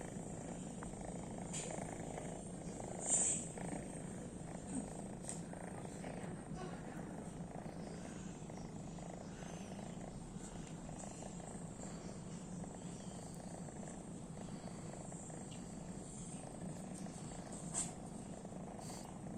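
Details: Morka, a pet cat, sleeping indoors: a steady low rumbling snore-like purr runs continuously through the whole stretch, with soft faint clicks and a brief louder tick near the start; a person speaks quietly afterwards.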